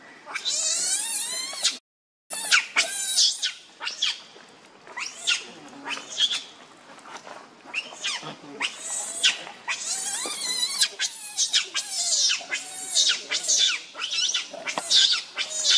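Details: Leo, a baby monkey nicknamed Rainbow, angrily demands milk from its mother: long runs of high, strained screeches and wails, closely spaced and nearly continuous after a brief cut early on.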